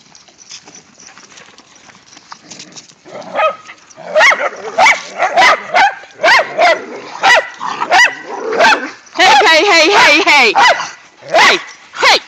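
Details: Whippets Mikey and Kieran, with a rat terrier, romping in the season's first light snow; after a few seconds of people calling and laughing, sharp barks come in bursts, roughly once or twice a second, with shouts of 'stop' between them.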